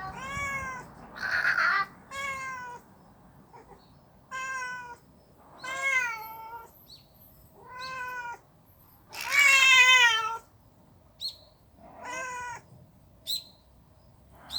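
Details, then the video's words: Stray cats in a fight at a storage shed trade long, wavering yowls one to two seconds each. Several rise and fall in pitch, one loud screeching burst stands out, and quiet gaps fall between calls. "길고양이 싸움장소!"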